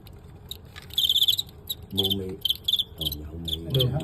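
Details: Fighting crickets in a bout against a noted Guangxi champion, filmed live. Short bursts of sharp, high chirps, each a quick run of pulses, repeat in groups while a man speaks Cantonese in the gaps and over the later chirps.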